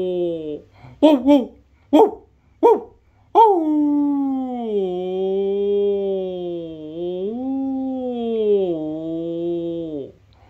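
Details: A female Labradoodle, born 24 December 2018, responds to a person howling in front of her: a few short yelping notes, then a long wavering howl that sags and rises.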